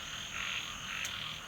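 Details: At night outside a flooded home in Thailand, with thunder heard earlier and rain expected, frogs croak together in a dense, rasping chorus with a thin high insect hum behind.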